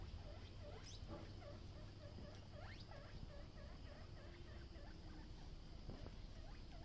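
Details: Guinea pigs in a mini zoo at Uttara Ganobhaban, Natore, Bangladesh, a colony grown from three animals; repeated short squeaky chirps, several per second, over low steady background rumble.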